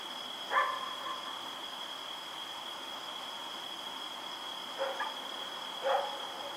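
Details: Rex the dog running around at night, recorded October 7, 2018: three short, somewhat distant barks, one early, then two close together near the end, over a steady high-pitched hum that runs throughout.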